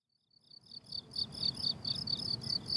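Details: Crickets on a blooming summer meadow, fading in from silence: high, pulsed chirps, each a quick cluster of ticks, repeating steadily about twice a second, over a low rumble of background noise.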